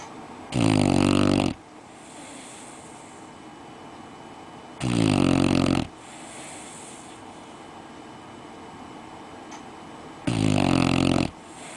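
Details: Red-nose Pit Bull puppy snoring in bed after a day playing outdoors: three loud, buzzy, low snores about a second each, spaced roughly five seconds apart, with quiet breathing between.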